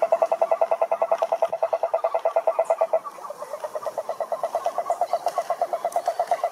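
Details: Toad croaking in a fast, steady train of short mid-pitched pulses, roughly a dozen per second, with a brief break near three seconds before the pulsing resumes slightly softer.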